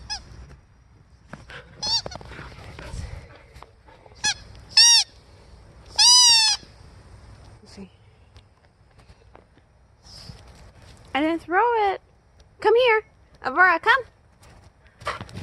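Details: Aurora the Siberian Husky, out in a blizzard and keen to play fetch, talks in a string of high yips and drawn woo-like calls, some rising then dipping, spaced irregularly over fifteen seconds with light wind beneath.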